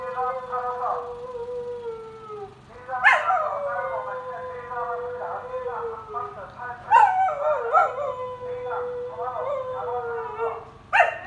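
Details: Samoyed howling in a joint howl with other dogs, appearing irritated; long sustained tonal wails gliding slowly downward, broken by sharp yelping onsets around three, seven and eleven seconds, one voice coaxing softly.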